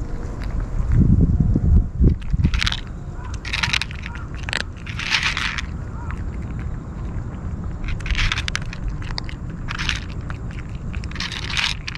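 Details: Loud crunching and chewing-like bursts sit over a steady low rumble, with scattered scraping clicks throughout and no clear animal call.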